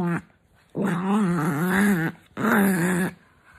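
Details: Kissed awake in the morning, a grumpy female dog lets out two long, wavering groan-growls indoors, each lasting over a second, separated by a brief silence.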